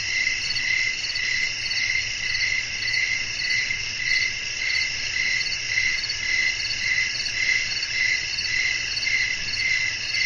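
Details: Night ambience of crickets calling amid wind, meant for calm and sleep; dense high-pitched chirps pulse evenly about twice per second for the whole stretch, with a soft low rumble underneath.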